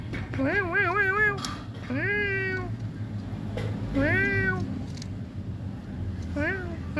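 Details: Domestic cat meowing four times, each meow drawn out and wavering with a slight quaver, spaced a second or two apart, over a steady low hum.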